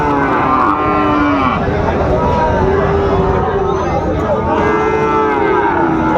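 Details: Sahiwal bull calves for sale at the start of Raniganj cattle market, Dinajpur, on 27 March 2025: drawn-out, wavering lows rise and fall over loud haggling voices and crowd noise.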